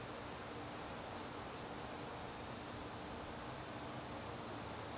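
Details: Steady, shrill trilling of crickets fills a garden during a September evening, an unbroken high whine over a soft background hiss.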